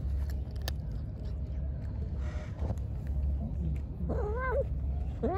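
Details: Hungry pregnant stray cat, angry while being fed, gives a short burst of wavering, rising-and-falling meows near the end, over a steady low hum and faint background noise.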